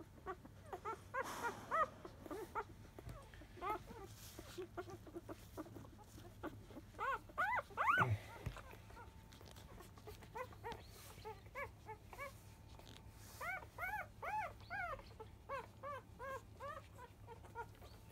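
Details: Newborn field-type Labrador Retriever puppies, five days old, nursing at 10 a.m. from their mother Biscuit; scattered thin squeaky whines, then a steadier string of rising-falling yelps near the end.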